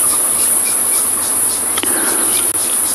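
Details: At sunset on 11 February 2022, by an African safari watering spot, cicadas singing in the trees hold a steady, very high-pitched shrill buzz, broken only by faint clicks, with emerald-spotted wood doves calling in the background.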